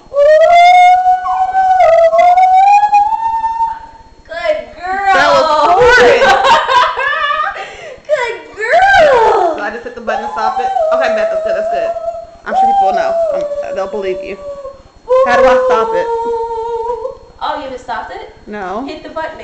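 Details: A pet dog sings along indoors while her owner belts out Arcade Fire loudly with headphones on. Drawn-out, wavering howls and yelps rise and fall, tangled with loud human singing in bursts separated by short pauses.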